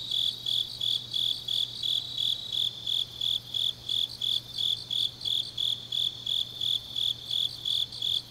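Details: Grass insects calling through a late autumn night in Changnyeong, Korea; one high chirper keeps an even beat of about three pulses a second while a softer chorus of other insects fills the background, faint hum below.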